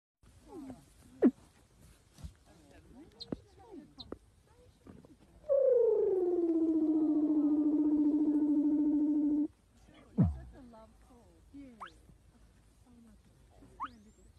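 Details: A Weddell seal (Leptonychotes weddellii) in Antarctica vocalizes while sleeping, giving a long tonal moan that slides down, then holds steady for about four seconds.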